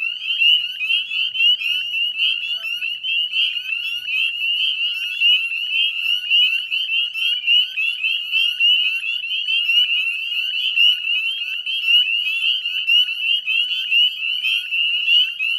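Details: Dusk chorus of northern spring peepers at Chezzetcook salt marsh, Nova Scotia, Canada, 18 May 2020: a continuous shrill jingle of high rising peeps from many frogs, loudest calls standing out roughly once a second.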